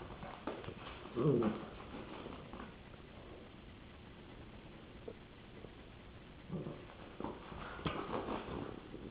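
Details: In 2007, a Rottweiler playing with a popsicle stick gives a brief, low grumbling vocal burst, followed later by softer grunts.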